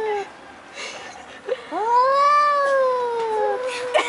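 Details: Two big male cats in a tense standoff, wailing like crying babies before fighting; a short cry, a quiet gap, then one long rising and slowly falling yowl lasting about two seconds, with faint scuffing noises.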